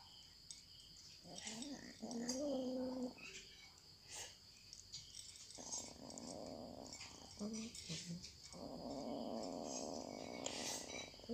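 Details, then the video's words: Cats eating, with sharp crunching clicks of chewing mixed with low, droning, growl-like tones that rise and fall in several bursts, the longest lasting about three seconds, over a steady high background hiss. "The sound of cats eating"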